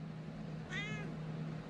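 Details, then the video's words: Domestic cat, from a compilation of cats slapping humans, giving one short, faint meow with bright harmonics over a steady low electrical hum. "Cats slap humans compilation video 2023"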